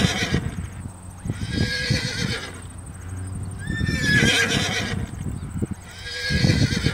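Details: Horse whinnies heard over a busy mix of low thuds and clopping hooves, with shrill, wavering neighs rising above the scuffling and a steady high ticking hum throughout.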